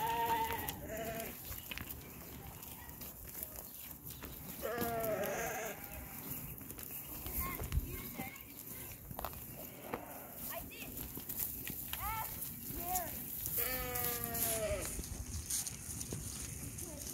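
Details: Rams bleating several times: short quavering bleats near the start, a longer wavering one around five seconds, and a series of buzzy bleats late on, with human speech and background noise throughout.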